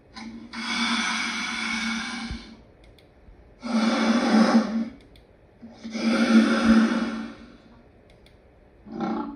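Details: Lion roaring: three long, harsh, rasping bursts of about two seconds each, separated by short pauses, with a fourth starting at the end, over a steady low hum.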